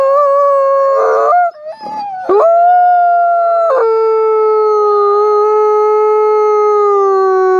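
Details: A howling sequence from Nikai, a captive-born gray wolf at the Wolf Conservation Center in South Salem, New York: a broken opening with rough grunt-like interruptions, then one long, steady, low-pitched howl held to the end.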